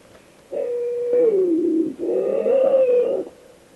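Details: Bobcat in the forests of Northern California, a drawn-out cat-like yowl in two long, wavering tones, the first sliding downward and the second rising then easing off, much like a house cat, with a faint background hiss.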